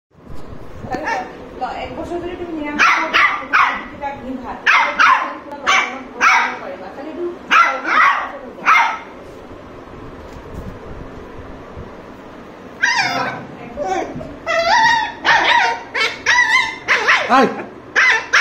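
A Lhasa Apso gives sharp, high barks in quick bursts, with a person talking nearby.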